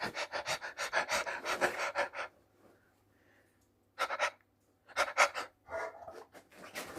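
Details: Labrador Retriever puppy panting indoors: two bursts of quick, rhythmic, breathy huffs, the first running about two seconds, then a pause with a person asking what it did, then a second uneven burst of panting.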